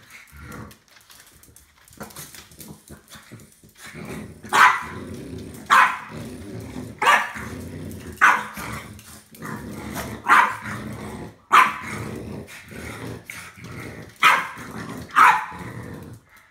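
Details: Apple, a French Bulldog, joined by Gus the one-eyed Chug, attacks a broom during sweeping, hating housework. Sharp, loud barks burst out roughly every second, about nine in all, with snorting, scuffling and brushing noises between them.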